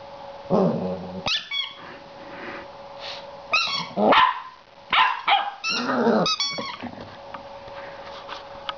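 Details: Female Border Collie puppy, seven weeks old, gets annoyed with her new toy, alternating grumbling growls, sharp barks and squealing yips in irregular bursts, with quiet gaps between and a low steady hum.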